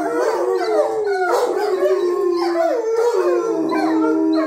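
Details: Several young wolfdogs howl together indoors in long, wavering tones that slide up and down in overlapping waves. One started howling during the owner's petting game, and the others joined in.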